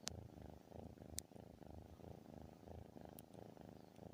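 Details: Loud snore-like cat purr heard up close: an even, deep rumble of rapid pulses throughout, with two or three faint clicks.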